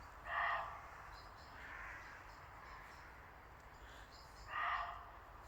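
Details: Muntjac deer barking in Oldbury Wood, Worcester, Worcestershire, England, on 31 December: two loud harsh barks about four seconds apart, with fainter barks between them in a quiet woodland.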